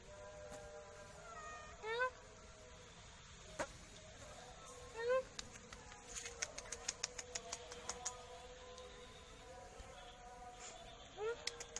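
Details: Black cat giving three short, high rising meows spaced a few seconds apart, each with a bright stack of overtones, over a steady background hum with scattered sharp clicks and taps.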